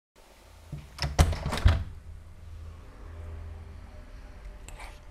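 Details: A few sharp knocks and thumps inside a small room, then a quiet low hum, with no animal voice heard.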